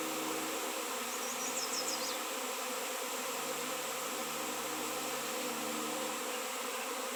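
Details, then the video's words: Swarming honey bees drawn to a raw 7 lb chunk of shungite, in a place without honey bees for years. An unbroken, thick humming buzz, with a brief faint high chirping near the start. "Shungite honey bees swarm"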